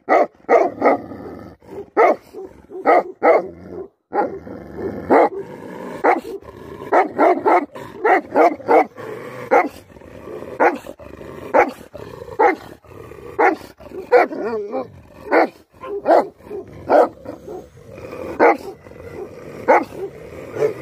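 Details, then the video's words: Tibetan Mastiff (Bhote Kukur) barking angrily. Sharp barks come fast and irregularly over about twenty seconds, some overlapping, against a constant rumbling background. "Angry dogs barking effect sound ||Tibetan Mastiff || Bhote Kukur"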